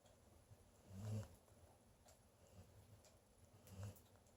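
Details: Dog snoring softly; low, rough breaths swelling roughly every two to three seconds, faint and deep against a quiet room hiss.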